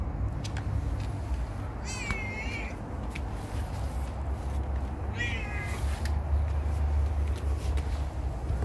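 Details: Domestic cat, friendly and trusting, inviting belly scratches while being petted. Two clear meows, each bending downward then levelling, about three seconds apart, over a steady low rumble.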